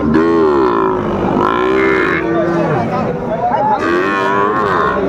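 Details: Bull lowing at a cattle market in Comilla, Bangladesh, on 14 September 2024, where farmers buy young bulls for their farms; drawn-out harmonic moos, wavering in pitch, come in two long bursts amid bargaining voices.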